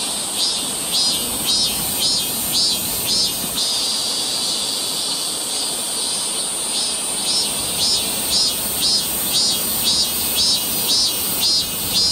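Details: Cicadas singing along a forest trail near Seoul, Korea, in summer: a steady high shrill buzz overlaid by rhythmic pulsing bursts repeating nearly twice per second, with a brief pause near four seconds.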